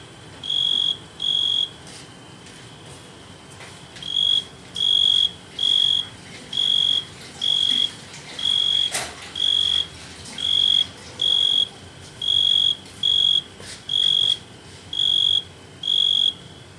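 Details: A tree cricket on a Euphorbia milii plant gives clear, pure-toned chirps, each under half a second, repeated roughly once a second.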